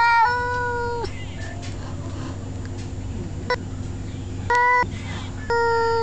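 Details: A domestic cat, a male, warns off a rival male with steady, flat, drawn-out yowls: one nearly a second long at the start, then two shorter bursts later, separated by quiet stretches over a low background hum.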